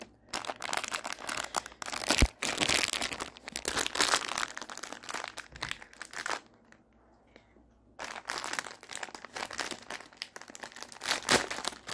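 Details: Loud crinkling and tearing of plastic toy packaging fills a small room, broken by a short quiet pause.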